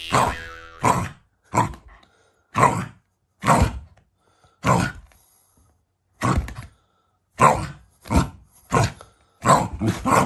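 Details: Shiba Inu, a family pet, growling at its owners as a show of affection rather than anger: short, rough, broadband bursts repeated about every second, with brief silences between them and faint laughter nearby.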